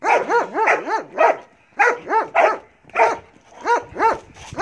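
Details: During bite work training, the Belgian Malinois Marley barks in tight clusters of three or four rising-and-falling barks, repeated about twice a second, separated by short silent gaps.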